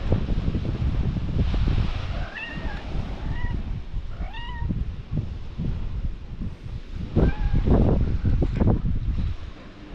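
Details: Outdoor meowing from Belyanochka, a stray cat: three short, bright meows in the first half, the last one rising then falling, then only heavy low wind-like rumble and thumps.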